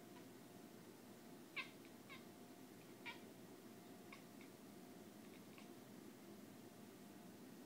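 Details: Indoor cat Bucky chatters at a moth on a window pane. Brief, bright squeaky chirps come singly and in pairs, the loudest near the start, then softer ones trailing off, against a constant background hum.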